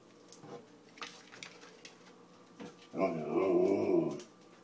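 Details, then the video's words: A male Siberian Husky, hungry and demanding dinner three hours early, gives a long, wavering, moaning howl-like 'talk'. "Siberian Husky Kiba wants an early dinner"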